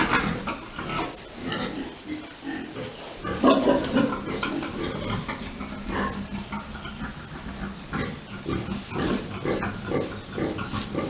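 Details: Grunting pigs at Dusama Farms while a large boar mates a sow: a run of coarse, irregular grunts, a louder harsh squeal-like burst near the fourth second, then quicker rhythmic grunting.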